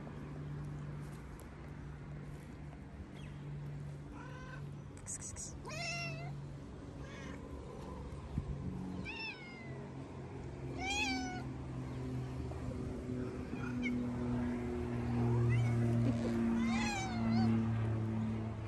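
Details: Stray tabby and ginger cats on the street, very hungry while being fed. Scattered meows with rich harmonics, each bending up then down, repeated every few seconds, against low traffic-like hum and faint rustling.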